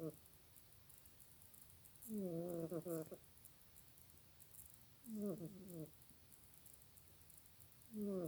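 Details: Snoring from Janet, a pet cat: low, buzzy, rattling breaths with a harmonic whine, each about a second long and repeating every three seconds in a steady rhythm, in a quiet indoor setting.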